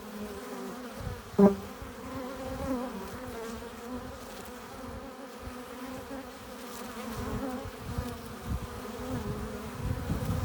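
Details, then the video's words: Honey bees crowd the hive entrance as they arrive with pollen and nectar, producing a layered buzzing drone; one sharp, loud bee pass stands out early, and the hum grows slightly fuller toward the end. "15 minutes of bee hive entrance! Relaxing sounds! Buzzing sound efects"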